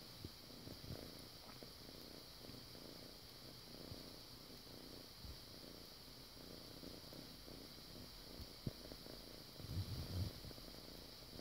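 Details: Foster kitten making air biscuits, kneading the air. A soft, low, continuous rumbling purr runs throughout, with a steady high hiss in the background and a few light bumps near the end.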